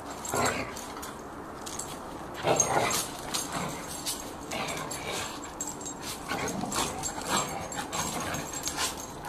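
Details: Irish Terrier and lurcher, two dogs playing rough together: short, noisy snarling and scuffling bursts, loudest near the start and around the third second, then a steady run of rough, breathy play noises.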